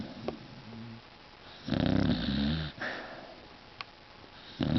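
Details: Snoring Beagle named Yoda, indoors: a few low rumbling snore bursts with growly harmonics, the loudest near the middle and another at the end, separated by quiet breathing.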